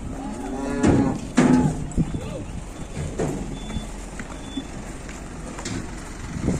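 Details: Big Ongole crossbred (PO) cattle taken to market in Indonesia: two short, deep moos close together near the start, followed by scattered thumps, clatter and faint vehicle sounds.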